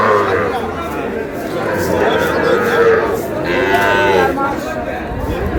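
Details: Sahiwal bull calf bought by a Brahmanbaria farmer in Bangladesh, 20 May: a drawn-out, harmonic-rich moo arching and falling near the middle, set against a steady murmur of human voices and crowd chatter.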